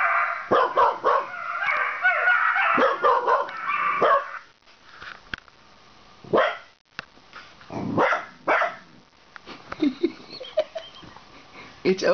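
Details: LiLu, a red heeler puppy, barks at the German pointers Mav and Hoss on a computer screen; a thick burst of high, yelping barks for four seconds, then scattered sharp single barks separated by quiet gaps.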